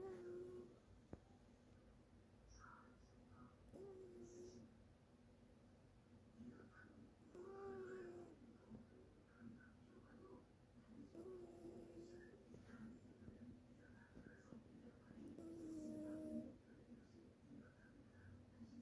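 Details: A sleeping cat snores indoors in a small room: soft, low tonal breaths with faint overtones, each lasting about a second and returning roughly every four seconds over a quiet background hiss.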